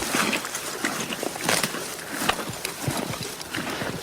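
A horse crops and chews grass with irregular crunchy tearing and grinding sounds.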